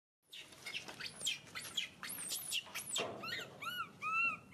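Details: Baby monkey crying and screaming: a run of shrill, sharply rising and falling shrieks sweeping very high, then several clearer arched, whistle-like cries near the end.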